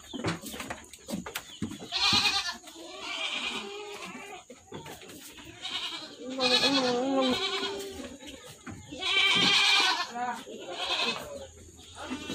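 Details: Goats on an Indonesian goat farm, several animals bleating in turn: wavering, harmonic cries of about a second each, some higher and some lower, overlapping at times, with clattering and background farm noise.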